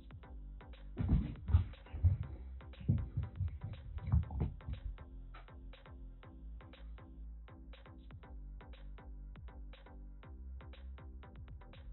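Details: Muffled electronic dance music with a steady thumping beat and deep bass, without any audible animal voice.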